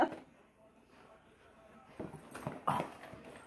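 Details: Tonka, a pet Alaskan Malamute, indoors after grabbing and running off with butter pecan ice cream; mostly quiet at first, then a few soft broken vocal bursts build to a short, higher whining yelp near the end.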